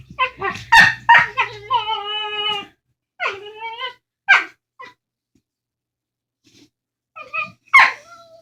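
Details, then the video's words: Two pet dogs indoors making funny talking noises to each other over a bone: a burst of harmonic, wavering grumbles and yodel-like whines in the first three seconds, then a short rising moan, a pause, and a final sharp yelp. "Dogs making funny noises talking"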